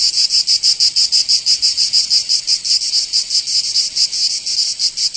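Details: In southern France's Provence during summer, cicadas give a loud, harsh high buzz broken into distinct throbbing pulses a bit over one per second, the beat loosening and fading slightly toward the end.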